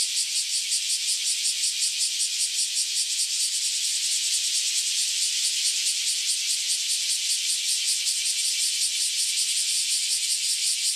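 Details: Freshly emerged cicadas, after about a decade underground, singing together before flying away: an unbroken, intense high-pitched buzz with a quick rhythmic throb, several beats per second, steady throughout.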